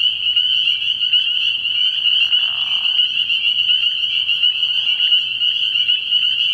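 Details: Spring peepers calling in a chorus at a frog pond at night early in the year: a dense, continuous wall of high, shrill peeping with overlapping voices, plus a faint low hum underneath.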